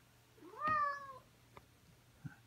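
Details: Pet cat calling indoors to wake its owner at the same time every morning: one meow rising then falling in a slow arc, lasting about 0.6 seconds, in a quiet room with a low steady hum.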